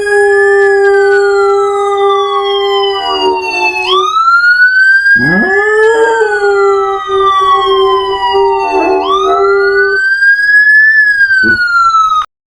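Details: Dog howling along with a wailing emergency siren, sustained steady howls that break off and restart with a sudden upward swoop, the siren tones sliding high and falling throughout.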